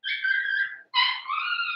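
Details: Young blenheim Cavalier King Charles Spaniel puppy from a New Year's litter of five, calling indoors. Two drawn-out, tonal whining cries follow each other with a brief gap; the first slides slightly downward and the second holds steady and bright.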